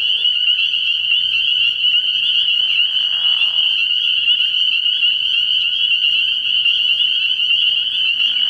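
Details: Spring peepers calling together at a frog pond at night early in the year: a dense, unbroken high-pitched peeping chorus that merges into one steady ringing band, with a brief lower, hoarse call near the middle.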